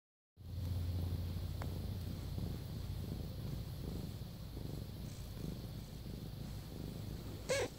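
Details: Domestic cat purring steadily after a brief silent start, a low continuous rumble with fine rapid pulsing, broken by a faint short click midway and a small sharp sound near the end.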